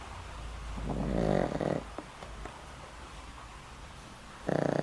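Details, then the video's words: Asleep at home, the old pet dog Boram, over twenty and living with a heart condition, lets out a swelling, grating snore that fades, then a fresh loud snore starts near the end. "강아지 코고는 소리~! 코골이가 우렁차요~!"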